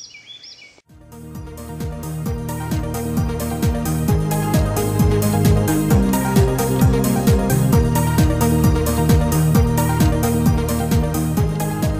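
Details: After a brief quiet start, loud electronic music with a steady, regular beat fills the recording, and no animal sounds come through.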